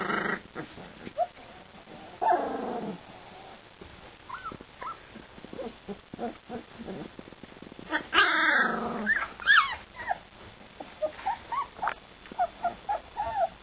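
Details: Siberian Husky puppies, two and a half weeks old, playing: scattered short yips, soft whimpers and low growls, with a louder squealing cry midway and a burst of high yelps near the end, over handling noise.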